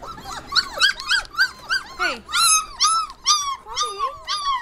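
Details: Several 25-day-old Border Collie puppies shut in a crate for a few minutes, 'singing' indoors: a chorus of high, overlapping whines and yelps with bent, falling and rising pitch, rapid calls every half second, growing louder and more wavering toward the end.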